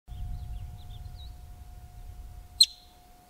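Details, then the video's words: Wild male yellow-bellied marmot giving its alarm call up close just outside Yellowstone: after a stretch of low rumbling background and faint small bird chirps, one sudden sharp, piercing high whistle rings out near the end. "Yellow Bellied Marmot Calls - Marmot Alarm Call Up Close Near Yellowstone"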